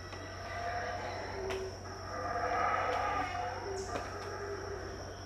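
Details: Distant howler monkeys calling near dawn, about 6am, at Tikal, Guatemala, in 2018: a grainy roar builds to a peak mid-clip then fades, with a continuous shrill insect tone and a few faint clicks.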